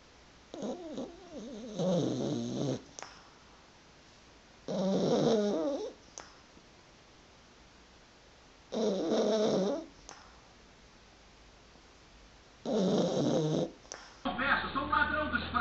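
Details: Puppies and dogs sleeping, snoring and twitching while dreaming; four rasping snore breaths of roughly one second each, coming about every four seconds with quiet gaps between, then a brief different rustling noise at the very end.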